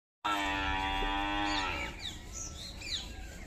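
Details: Buffalo giving a long, steady harmonic moo of about one and a half seconds that ends abruptly, followed by quieter rustling and faint high squeaky sounds.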